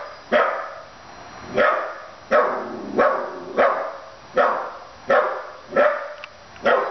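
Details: A 15-week-old puppy named Mia, miffed at a stuffed dog, keeps barking at it in a steady series of eight short, forceful yaps spaced under a second apart, with nothing else audible.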